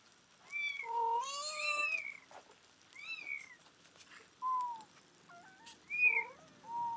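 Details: Mother cat, rescued two days before giving birth, calling her nine-day-old kittens back after they were weighed, recorded July 23, 2011; drawn-out, bending meows mixed with thin, high, rising-and-falling mews from the kittens, some overlapping.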